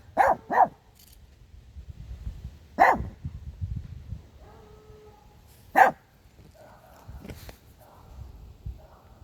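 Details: Pet dog barking at a car: a quick double bark, then two single barks spaced about three seconds apart, over low rumbling background noise with faint tonal sounds.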